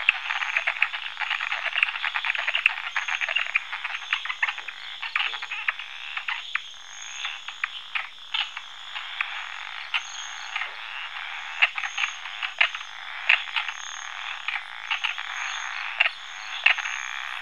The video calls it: Frog Territorial Croak Free Stock Footage